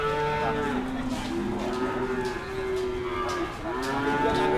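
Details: Cattle waiting to be weighed at the Dimoro cattle market, Blitar; drawn-out, steady moos hold almost without a break, one fading and a fresh one rising near the end, with faint voices behind.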